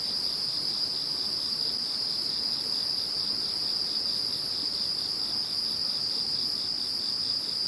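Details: Post-typhoon insect chorus following Typhoon No. 21: constant high-pitched shrilling layered with a soft rhythmic pulsing trill, steady in loudness, easing slightly near the end.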